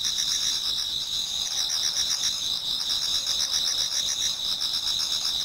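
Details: Autumn insect chorus before dawn in a Japanese garden, several singers at once; continuous high-pitched ringing trills layered with quick pulsing chirps at roughly four per second, even and unbroken throughout.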